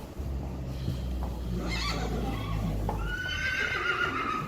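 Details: Friesian horse mare Pjirkje, born 2013, recorded February 29, 2020 around harnessing and driving with herd mates Jildou, Jacobien and Klaske; a neigh with harmonic bands that slides downward in its second half over low rumbling and background noise.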